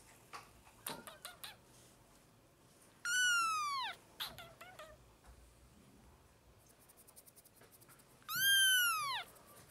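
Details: A hungry kitten from a litter of five four-week-olds being hand-fed indoors at lunchtime gives two strong, drawn-out descending mews five seconds apart, with soft clicks and rustling from feeding in between.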